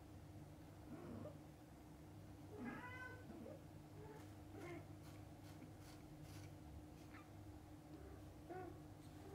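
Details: Mother cat with her kittens, from birth to opening their eyes: a clear rising-falling harmonic meow near the middle, with a few fainter, shorter mews before and after over a steady low indoor hum.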